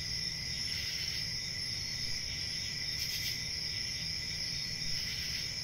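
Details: Crickets calling at night: a continuous shrill chirping drone in several high bands, even in loudness, with soft low-frequency background noise underneath.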